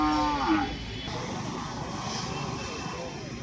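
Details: Cattle at the Itkhola market in Magura, Bangladesh, a few brought in from surrounding villages: a short, low, droning moo slides slightly downward in the first half second, followed by steady crowd and market hubbub.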